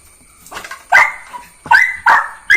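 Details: Jack Russell Terrier puppy named Neo barking at home: three sharp, high yapping barks in quick succession after a soft lead-in, with a constant faint electronic whine in the background.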